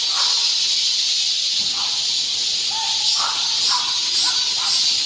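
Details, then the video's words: Steady, shrill cicada drone on a midsummer day in a Guro-gu park, Seoul, with short, faint chirping notes from other creatures scattered through the background. "한여름 무더위를 식히는 시원한 청량제와 같은 매미 소리"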